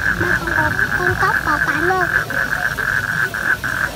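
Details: A mating toad gives a steady, high, pulsing trill, with human voices talking over the first half.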